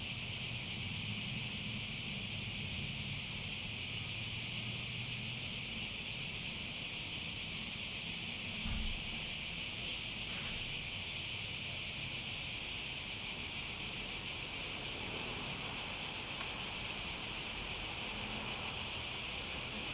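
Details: Sustained cicada buzzing, a high, uniform hiss-like drone lasting the entire span without breaks, with low background rumble and a couple of faint knocks partway through.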